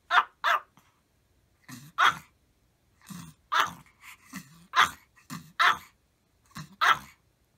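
Several Maltese dogs bark together in sharp, high yaps, often in quick pairs.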